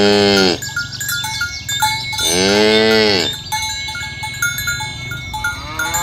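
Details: Tame village cows walking in the morning along village roads toward the pen; two loud, long, harmonic moos, the second bowing up then down, over continuous bright clinking cowbells.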